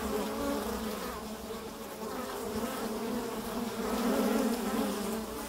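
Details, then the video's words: Foraging Carniolan honey bees (Kranjska sivka) fill the air with a continuous layered hum, several wingbeat tones wavering and swelling slightly toward the end as insects pass close. "Pašnja čebele Kranjska Sivka"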